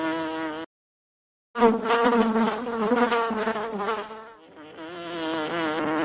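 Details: During the harvest of a big honeycomb in a village, honey bees make a dense, droning buzz, steady and harmonic, that swells and eases with a brief silence.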